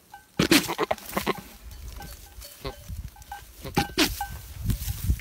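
A male goat gives harsh, snorting bursts and short nasal bleats while calling to a female for mating.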